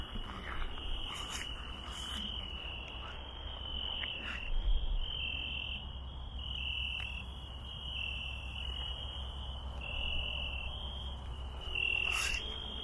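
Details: Cricket singing in a garden at night: a high, pulsing trill in repeated bursts of a second or two separated by short pauses, over a low background rumble and occasional rustling.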